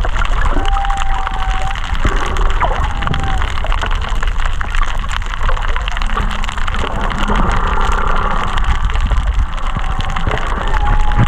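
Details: Humpback whale song recorded underwater at Kaanapali Bay, with whales estimated under 500 m away: drawn-out tonal moans and whistles, some level, some sliding, over a rushing hiss and crackling from fish eating coral.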